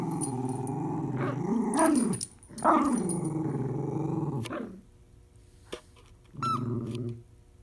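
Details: A Miniature Schnauzer puppy and an adult dog playing tug of war make long low rumbling growls with rising and falling pitch, then a short growl after a pause; a faint clatter is also heard.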